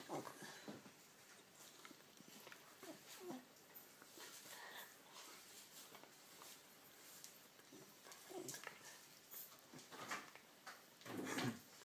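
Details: Dachshund crying and pestering a Jack Russell, begging it to play; scattered short whimpering cries and snuffling noises come in irregular bursts, the loudest near the end, with human talk in the background.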